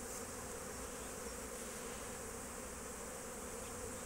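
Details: Constant whirring drone of a crowd of honey bees during foraging at an apiary in March 2024, thick and steady with no pauses.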